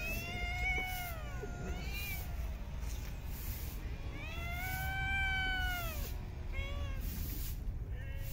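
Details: During feeding in a park, street cats let out long, arching meows that swell and fade, a short chirp-like meow between them, against a steady low outdoor drone.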